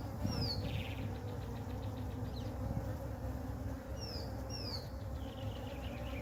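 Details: Honey bee swarm resting on the ground with its queen, being moved into a hive; a steady low droning hum of many bees, with several short descending bird chirps overhead.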